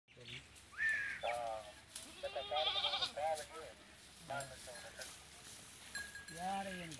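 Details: A male Teddy goat and a female goat mating in a village in Punjab, Pakistan; repeated wavering bleats, some high and strained, others lower and nasal, come in short bursts over background voices.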